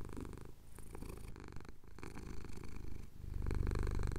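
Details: A male cat in the Cotswolds purrs as his chin gets scratched at sunrise, captured on a Tascam DR-07X: soft, continuous low-pitched rumbling that grows fuller and louder toward the end.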